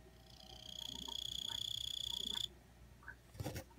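A Kuchiki cricket sings a loud, clear, steady high trill for about two seconds.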